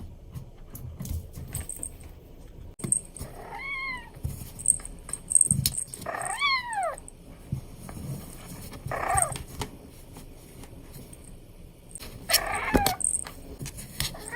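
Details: Four meows from an Abyssinian kitten at play, the clearest two curving sharply up then down. Between calls come light jingling and scuffling sounds.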